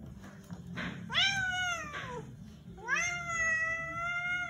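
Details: Zefir, a pet cat shown as very angry, utters two loud wavering yowls: a brief bent cry that drops in pitch, then a longer rising howl held steady for over a second, with quiet room noise between.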